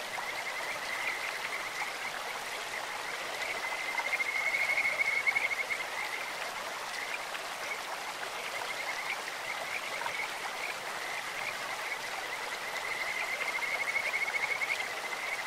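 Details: Kajika frogs calling in a stream: clear, bird-like trilled notes in long rapid pulsed series around a steady high pitch, swelling near the fifth and fourteenth seconds, over a constant broadband rush of flowing water.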